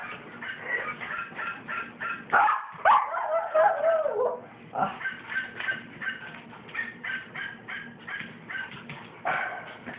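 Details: An excited Cairn Terrier, phone-recorded, gives a rapid run of sharp, high yapping barks, about two per second, with a brief stretch of a man talking partway through before the barking resumes.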